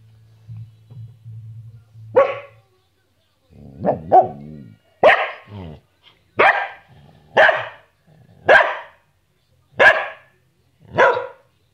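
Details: Samoyed named Bonnie barking during play: a run of about eight sharp, even barks roughly one per second, the early ones double-pulsed and yelping, after a brief low human voice.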